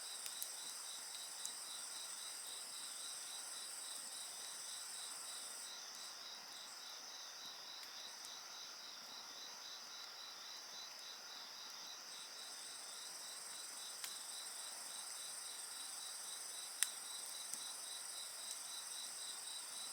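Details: Continuous insect song with a quick beaded trill and high ringing bands, the uppermost voice pausing mid-clip, while sharp scattered pops of a burning bonfire crackle throughout.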